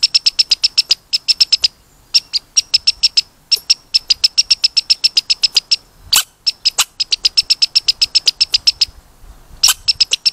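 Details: Red squirrel putting on a long squeaking show, with fast trains of short, high-pitched squeaks, roughly four per second, in bursts separated by brief gaps and occasional louder, harsher chirps.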